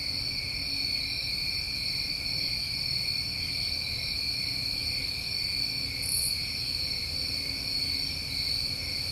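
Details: Summertime crickets in New England after dark, a continuous shimmering chorus of high trills at several pitches, one brief higher chirp near the middle, low faint rumble below.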